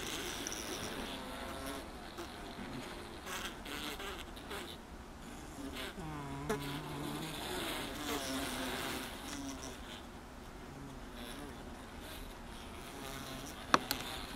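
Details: Inside a honey super packed with honey bees: a continuous low buzzing drone with layered harmonics, individual wingbeats briefly rising and dropping in pitch over the hive's steady hum, and a sharp click near the end.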